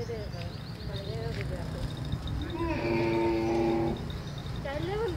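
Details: A camel wandering in a city gives gurgling grumbles, then a drawn-out, steady moaning bellow of about a second, ending in a rising groan, over a low rumble of street noise.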